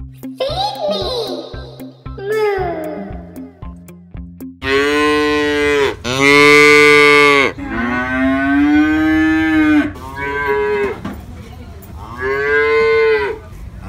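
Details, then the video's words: Cows, calves and adults, lowing: after a few seconds of playful musical jingle and chimes, several long harmonic moos follow, some loud and drawn out, others softer and shorter, with brief pauses between them. "COW SOUNDS FOR KIDS: Baby Cows Go Moo Too"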